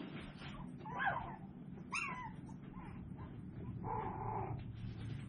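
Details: A litter of tiny Toy Poodle puppies at seven weeks, 24 April 2022, gives thin whining yelps: a rising whimper, a sharper squeal a second later, then a drawn-out nasal whine, over constant low hum.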